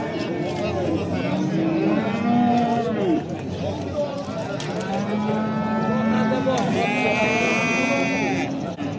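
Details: Bulls at the Oqtepa livestock market in Oltinko'l, Andijan, Uzbekistan: several long, deep harmonic moos, some holding steady and others bending up or down, overlapping against busy market chatter and background music.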